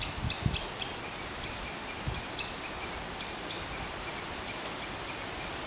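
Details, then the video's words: A squirrel calls with quick, thin, high chips repeated at an even pace, set against steady background hiss and a couple of dull low knocks near the start. "Squirrel's sound of call."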